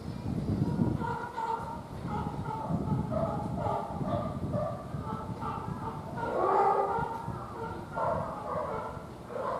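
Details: A young serval kitten about seven months old, filmed at a zoo in December, gives a series of short, tonal, mewing calls over a low background rumble.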